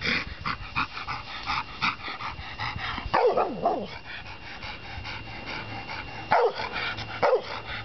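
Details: Ben, a black Labrador Retriever rescued after being found running along the M4 westbound in South Wales in 2001, now in a new home, gives three sharp, falling barks a few seconds apart over a steady indoor hum.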